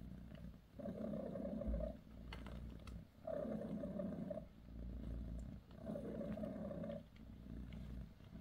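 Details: British Shorthair mother Bassy massaging her kittens, purring steadily; deep pulsed rumble rises and falls with her breathing in four swells about two seconds apart, soft and continuous, no other sounds.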